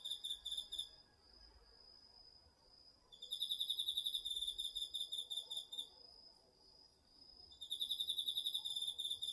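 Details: Autumn night insects, crickets among them, in a garden vegetable patch, recorded with a DR-40X: loud rapid pulsed chirping in bursts of several seconds alternating with a quieter steady high trill, over a hissing insect background.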